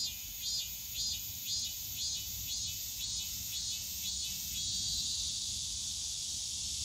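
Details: Cicadas on a summer day in the bamboo forest at Yongsan Family Park, a loud shrill drone carrying regular pulsing beats near twice per second that fade into a smoother continuous buzz, light park rumble below.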